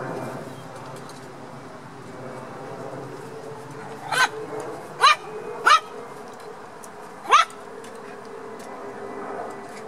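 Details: Black toy poodle puppies playing, giving four short high yips at uneven intervals, each a sharp rising squeak, over a steady low background hum.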